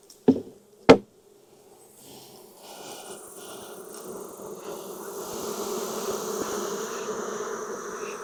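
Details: Loud honey bee colony being inspected in Texas on a hot day, about 92F, after weeks of rain; two sharp knocks open, then a droning hum swells steadily and stays continuous to the end.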